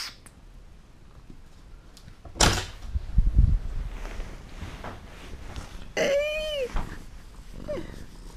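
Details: Domestic cats indoors, missing their owner and wanting the door opened: a bumping, door-like knock, shuffling noise, then one clear arching meow and a shorter second meow near the end.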